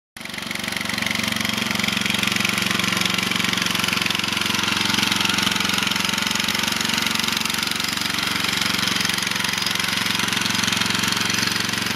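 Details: Steady, loud engine idling with a rhythmic mechanical knock runs throughout, with no animal voices audible.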